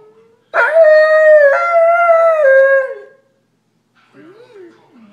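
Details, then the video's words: A young, restless dog gives one sustained howl of about two and a half seconds, steady in pitch with rich overtones and a slight step upward midway, then a short quieter wavering whine follows after a pause. "Young and Restless Dog Howl"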